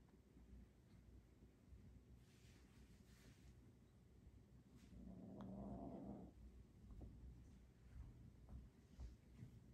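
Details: A Bengal cat, among 3-month-old Bengal kittens, gives a brief, low, drawn-out vocalization over steady rumbling and handling noise.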